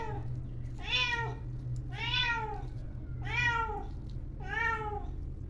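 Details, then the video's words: A domestic cat named Nilu gives four clear, arching meows about a second apart, begging for fish after smelling it being boiled for her; she loves fish. "আপনারা শুনতে পাচ্ছেন ব্যাকগ্রাউন্ডে বিড়াল ম্যাও ম্যাও ম্যাও ম্যাও করছে। ওর নাম হচ্ছে নীলু। ও মাছ খুবই বেশি পছন্দ করে।"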